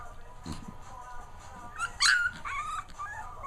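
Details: Two-week-old puppy Manny indoors on a carpet; a sudden loud, high yelping whimper about two seconds in, followed by softer wavering whines, while a person speaks nearby.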